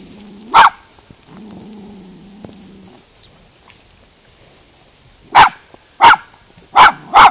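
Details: Female miniature schnauzer barking at cows she meets for the first time, trying to scare them off without success; a single loud bark, a low droning lull, then four sharp barks in quick succession near the end.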